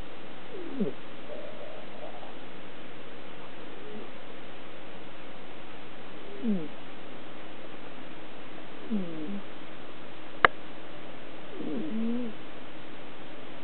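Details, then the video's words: Female pet cat asleep at night, snoring steadily: five raspy, falling breaths spaced roughly every two to three seconds, with one sharp click midway and a constant low background hum. "Cat snoring - Gatto che RONFA"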